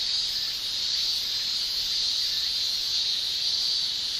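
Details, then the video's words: Cicadas in a Japanese summer, males producing a constant, piercing high hiss that stays level and steady throughout the short stretch. "Japan Summer Cicada Shrilling"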